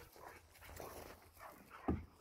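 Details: Bernese Mountain Dog puppy, female, being coaxed into her new kennel indoors; soft rhythmic panting and faint whimpers, ending in one short sharp yelp-like burst near the close.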